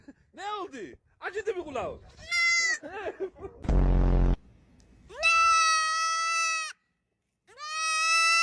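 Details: Goat making short wavering cries, then a loud buzzing blast and two long, steady, nasal bleats of about a second and a half each, with a person speaking Turkish at the start.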